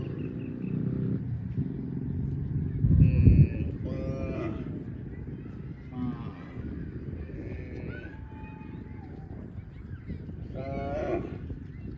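A cow gives several drawn-out, nasal moos over a low rumbling background.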